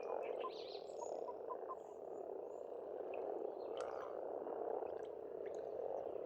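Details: Springtime frog chorus from an Estonian farm pond, a thick unbroken mass of low croaks, with birds singing faintly over it: short whistled notes early on and thin chirps near the end.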